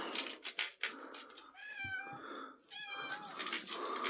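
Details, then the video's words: Domestic cat meowing, recorded 3 April 2024: two drawn-out, tonal meows about a second apart in the middle, the second slightly shorter, framed by bursts of hissy, rustling noise. "My cat Pippin Meowing"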